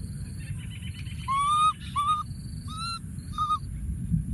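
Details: A baby monkey in the wild, tucked into a thorny tree, keeps calling for his friend: four clear whistle-like coos, each flat to gently rising, over regular high-pitched insect pulses and low background rumble.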